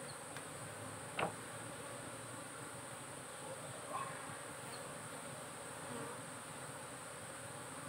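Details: Kept honey bees humming inside their hive stup, as in modern beekeeping with colony-health monitoring; the continuous low buzzing drone is broken by a sharp tap just after one second and softer knocks later.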